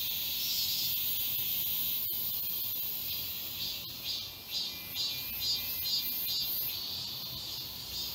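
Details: Chorus of cicadas in a Seoul park forest in summer, South Korea: a continuous high buzz with a pulsing series of louder throbs, about two per second, in the second half, plus a few sharp clicks.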